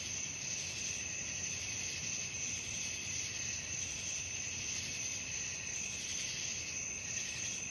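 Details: High, continuous cricket trilling at night, many insects merging into one shimmering chorus that pulses quickly and evenly.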